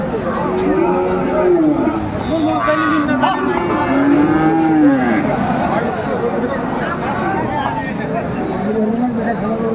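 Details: Friesian and cross-breed bull calves at Aftabganj market, Dinajpur, on 10 September 2024 give overlapping arched, rising-then-falling moos, several calls in quick succession amid a dense background of market chatter.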